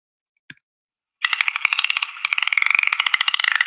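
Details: A dolphin's echolocation, used for navigating and finding prey: a dense, rapid train of sharp, buzzing clicks.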